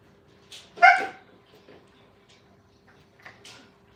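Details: Five-week-old Brittany puppies playing at a training kennel; one short, sharp yip with bright stacked harmonics near the start, then faint scuffles and a couple of soft, higher squeaks over a low, steady room hum.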